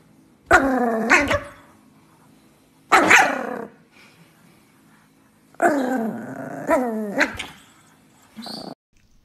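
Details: Angry Chihuahua, a pet, giving three loud bursts of yapping, growl-edged barks with falling pitch, spaced about two to three seconds apart, with quiet between them and a short, softer sound at the end.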